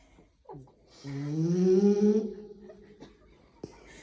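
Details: Snoring French Bulldog recorded close to a microphone, giving a single drawn-out, nasal, humming snore of just over a second. It slides slightly upward, then trails off, with a faint click near the end.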